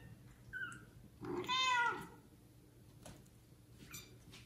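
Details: Kitten from a neglected litter of four meowing for its mother; one strong drawn-out harmonic meow preceded by a faint short squeak, then soft rustling and a weak distant cry.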